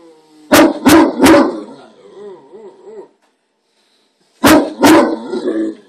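A Great Dane gives deep, booming barks in quick groups, with a wavering whine between them.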